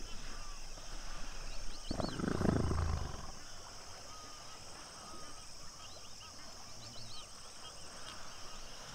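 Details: A hippo from a pod at sunset at Duba Plains, Okavango Delta, gives one deep, rough grunt lasting about a second. Faint chirping and a constant hiss follow.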